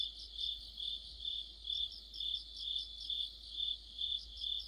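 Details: Mid-autumn chorus of crickets and fellow insects under a streetlight; shrill, ringing trills throb in regular waves a little over twice per second, a seamless wall of high chirping.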